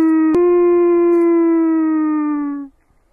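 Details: A gray wolf in the Chernobyl area of Ukraine holds one smooth, steady howl that sinks slightly in pitch before ending abruptly.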